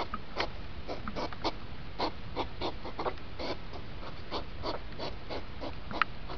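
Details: Rutting hedgehog, sound speeded up: quick sequence of puffing, snorting bursts at a lively, slightly irregular pace, with a brief squeak and one sharp click near the end.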